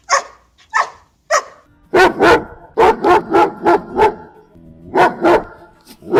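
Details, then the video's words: Dog barking, one of ten breeds shown: a few thin, higher yips first, then loud deep barks in rapid pairs and strings of about three per second, with a faint murmur underneath. "10 Dog Breeds Barking Sound Effects"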